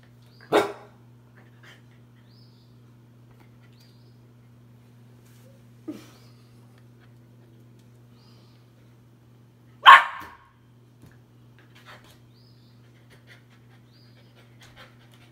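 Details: A 3-month-old male Australian Shepherd puppy barking at his reflection gives sharp, high barks singly with long pauses; the middle bark is softer, the last loudest, over a steady electrical hum.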